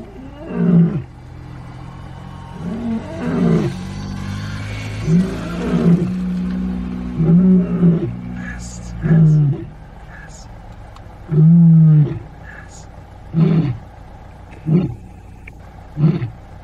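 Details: Big male lion walking through Pilanesberg National Park, South Africa, roaring: deep booming groans building into a series of short grunting roars spaced one to two seconds apart, very low-pitched and powerful, with faint wind and a brief human voice.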